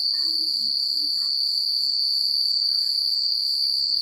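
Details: Crickets chirping through a calm country night, an unbroken high-pitched pulsing trill with faint low wind-like rustling beneath.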